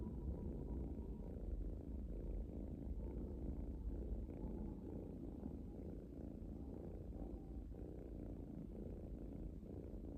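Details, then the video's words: Relaxing domestic kitten purring: a steady, low rumbling purr that swells and fades in rhythmic pulses with each breath, roughly one cycle every second, throughout the clip with no other clear sounds. "Cute Kitten Purring"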